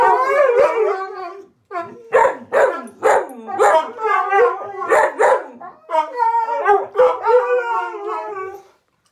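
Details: Huskies and husky mixes howling as a group, one not a husky; a run of pulsed, rhythmic howl-barks roughly twice a second, then smoother sustained wavering howls.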